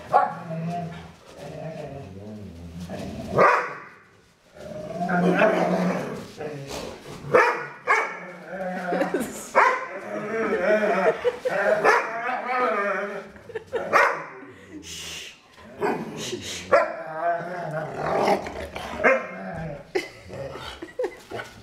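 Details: Two foster dogs playing indoors, the bigger female making strange play noises: wavering, moaning growls and grumbles rise and fall in long bursts, with short yips and brief pauses, and a person's voice now and then.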